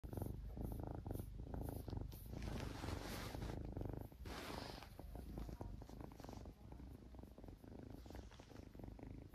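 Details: A Ragdoll kitten purrs steadily during paw training with treats, a low rumbling drone with a soft pulsing rhythm.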